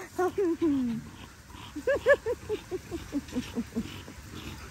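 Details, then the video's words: Young Australian cattle dog Linc romping with big puppies in a paddock: a few drawn-out whiny yelps, then a run of short, evenly spaced yips that gradually fade. "Linc the baby cattle dog has a play with the big puppies"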